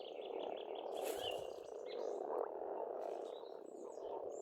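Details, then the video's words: Pond frogs in Estonia chorus in spring, a constant, dense croaking drone. A few faint bird notes and a brief rushing sound rise above it. "Расслабляющее пение птиц и лягушек, весна, природа."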